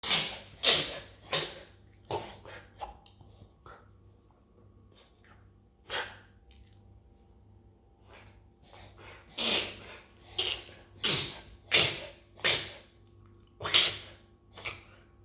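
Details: An Australian Shepherd reverse sneezes in rough, snorting gasps in quick bursts and clusters; the reflex seems not to distress the dog and happens most during spring allergy season.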